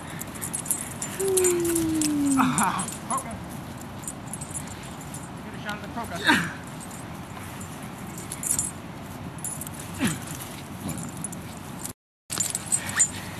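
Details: Sixteen-month-old dog Buttons at play with his teenage boy gives one thin, steadily falling whine lasting over a second, followed by quieter scattered thumps, a brief voice, and a short drop-out near the end.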